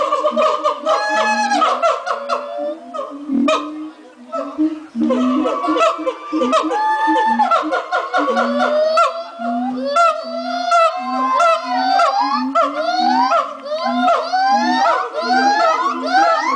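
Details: Noisy morning chorus from monkeys at Twycross Zoo, building from clustered hoots to a long stretch of excited, rising whoops and rapid sliding calls, many animals joining in a continuous din.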